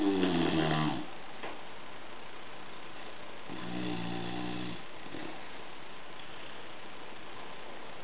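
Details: Snores from Gordo the bulldog as he sleeps: a loud, rasping snore opens, a second rough, humming snore follows a few seconds later, then a brief soft snort before quiet breathing noise in a small room.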